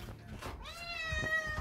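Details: Pet cat upset during its shower day after a typhoon, giving one long, steady, nasal meow that swells louder toward the end, in a small room with faint running-water noise.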